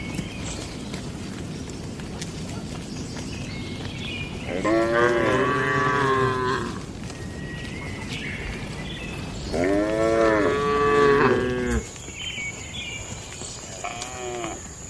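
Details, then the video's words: Domestic cattle in a peaceful farm barn, daily routine: two long, loud, wavering moos around five and ten seconds, each about two seconds, rich in stacked harmonics, a short third moo near fourteen seconds, steady background rumble between. "Moo Suara Sapi Jinak"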